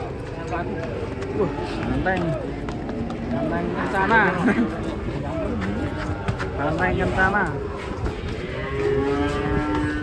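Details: Cattle lowing amid people talking in Javanese, with wavering, drawn-out moos rising and falling over about ten seconds and voices overlapping throughout.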